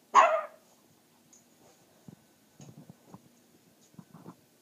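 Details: Puppy deliberately provoked by its owner to show its loud voice gives one sharp, loud, high bark at the start, followed by near silence with faint thumps and soft rustling.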